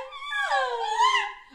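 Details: Norwich Terrier being affectionate with its owner, a single drawn-out whining vocalisation that rises then bends down and up again, with rich tonal harmonics, indoors.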